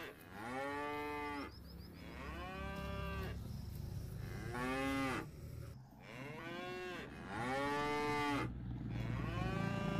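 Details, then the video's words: Tame village cattle being herded home to the pen together on a rural farm; a series of drawn-out, arching moos, about five in ten seconds, each rising then falling, with a steady low hum beneath. "Mengembala Sapi Lembu Jinak dan lucu untuk Pulang ke kandang ramai-ramai"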